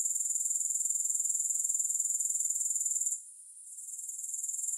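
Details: High, thin grasshopper trilling with no music, pulsing evenly at roughly four per second, breaking off after three seconds for a half-second pause before building back up.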